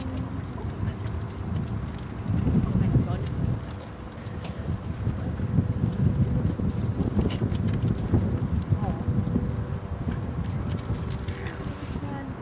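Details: Lion pair at Dortmund Zoo, Germany, recorded autumn 2009 during a short roaring concert, three young lions nearby; low throaty roars come in surging bursts, loudest around two to four seconds, over crowd murmur.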